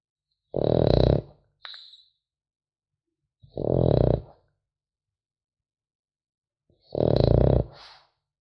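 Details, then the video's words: French Bulldog puppy snoring in its sleep: three long, grating, low snores roughly three seconds apart, each followed by a soft wheezy exhale, with silence indoors between breaths. "Храп щенка французского бульдога"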